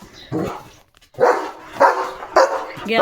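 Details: Pet German Shepherd barking at the gate during morning guard duty, reacting to a dog walking past; one bark, a short silence, then four forceful barks roughly every half second, with a woman's voice alongside.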